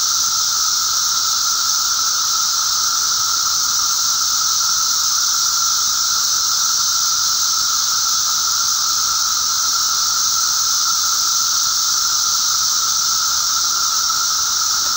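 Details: Periodical cicadas, the 13- and 17-year Magicicada of eastern North America, during a mass emergence on May 19, 2011: a constant roaring wall of buzzing for fifteen seconds, with a steady mid-pitched whine beneath a loud high hiss, never pausing.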